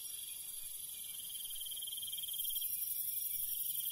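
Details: Crickets calling at night in the countryside: a dense, steady high-pitched ringing chorus of several insects, with a brighter pulsing trill that stops about halfway through, over faint low rumble.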